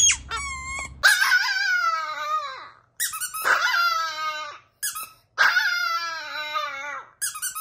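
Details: Indoor Chihuahua howling: a short yip followed by three sustained, shrill, wobbling howls about two seconds each, gradually falling in pitch, with short gaps between.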